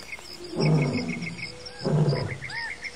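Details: Lions call in the African bush in Botswana in the early morning before sunrise: two deep, rough grunts boom out about a second apart, with small birds chirping above.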